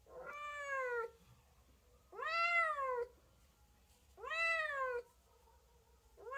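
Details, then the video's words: Repeated cat meows, roughly every two seconds, each a rich harmonic cry that rises briefly and falls away, three full calls and the start of a fourth, with near silence between. "chat qui miaule | cat voice sound"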